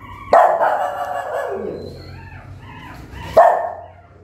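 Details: Mother dog, angry, barking at her newborn puppies; two sharp barks about three seconds apart, the first trailing into a longer drawn-out harsh sound, with low murmuring between.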